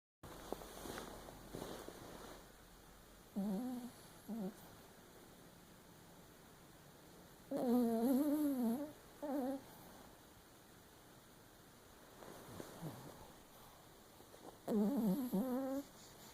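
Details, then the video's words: Sleeping Papillon Chihuahua dreaming with one eye open indoors, giving several short wavering whimpers and whines in bursts separated by quiet stretches, with faint soft breathing between them. "Papillon Chihuahua snoring and dreaming with one eye open"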